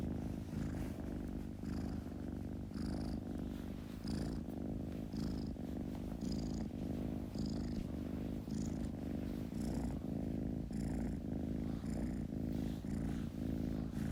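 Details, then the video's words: Contented kitten purr: continuous low vibrating drone, breaths pulsing just under once per second with light airy hiss between. "Kitten Purring"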